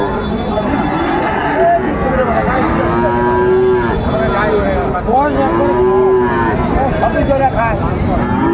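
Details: Bull calves of Friesian and cross breeds at Ranigonj cattle market, Dinajpur, 3 September 2024, give long, arching moos, two especially clear mid-clip, amid the dense chatter of a busy crowd.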